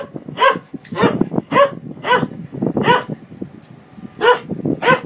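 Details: Dog barking at a washing machine, a steady run of loud, slightly hoarse barks roughly every half second over a constant low mechanical rumble in the room.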